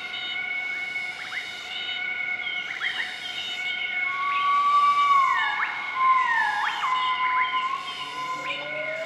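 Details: Southern white-cheeked gibbons in a group duetting their morning call in Nakai-Nam Theun National Protected Area, central-eastern Laos, on 20 March 2014; long gliding notes slide downward, then a slow rising whoop, over a steady droning insect-like hum.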